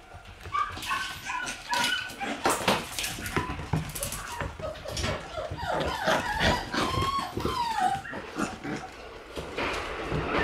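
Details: Several Shiba Inu dogs, including Tora born on June 10 and others born in June, give a busy mix of high whining squeals and short yips, with many rising and falling whistled whimpers overlapping amid clatter and rustling.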